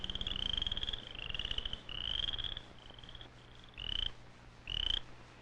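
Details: Cricket frog at a pond in spring, as amphibians come out of their winter sleep, from a 1959-60 educational film: a series of high, clicking, cricket-like trills, each rising slightly, in bursts about a second apart.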